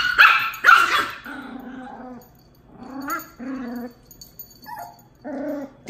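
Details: Domestic dog encounter between Tito, a two-month Miniature Pinscher pup, and Jupiter, a year-and-a-half-old Dachshund. Two loud barks open, then drawn-out low whines and short yelping notes follow.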